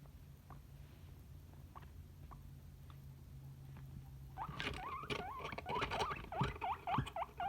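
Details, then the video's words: Guinea pig squeaking. Near-silence at first, broken by a few faint chirps. After about four seconds a rapid burst of wavering, warbling squeaks rises up and falls, louder and overlapping, with some thumps and rustles. "Guinea Pig Sound Effects"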